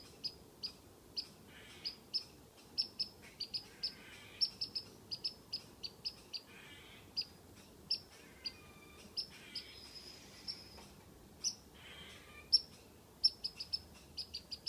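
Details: Squirrel teasing a cat from a tree: loud, crisp, high chirps in rapid doublets and small clusters, with a quieter stretch midway before the bursts resume strongly.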